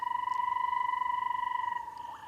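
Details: Banded rubber frog (Phrynomantis bifasciatus) at Erindi Game Reserve, Namibia, two weeks into an unusually rainy wet season, gives a steady, rapidly pulsed trill of about two to three seconds, its mating call to attract a mate.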